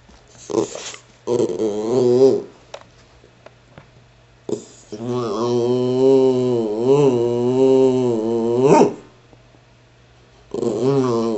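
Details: Patterdale Terrier, an 'talking' pet dog, chatting indoors with its owner: drawn-out, wavering, moaning howl-like grumbles that rise and fall in pitch, three bouts separated by quiet pauses.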